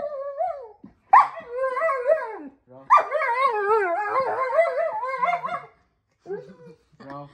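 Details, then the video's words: German Shepherd complaining indoors in a small room during roll-command training; long wavering whines and yowls, rising and falling in pitch, in several drawn-out bursts with short gaps, a person speaking faintly between them. "I’m proving that German Shepherd is not the most obedient dog - roll command got complaints"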